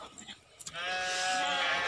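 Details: A farmed goat gives one loud, sustained, bright bleat with dense harmonics lasting over a second, after brief clicks and a human voice calling.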